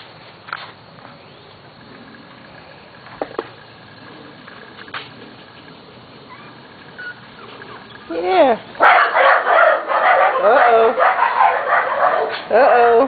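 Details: Almost seven-week-old Corgi puppies from two litters: quiet at first with a few faint sounds, then a sudden chorus of many high yapping barks repeating quickly, with a weed eater running.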